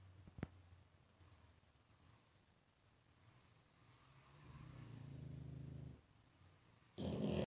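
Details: Pug in deep sleep, snoring indoors: one long, low rumbling snore swells for about two seconds in the middle, after quiet breathing, with a sharp knock near the start and a sudden loud rustle at the end.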